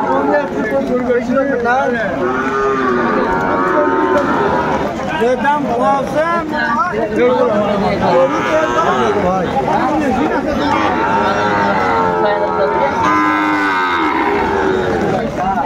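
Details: Sahiwal bull calves at a cattle market in Madaripur, Bangladesh, on 3 September 2024 during storm and rain as a farmer buys cattle. Long, drawn-out harmonic moos overlap and repeat amid steady men's talk and crowd noise.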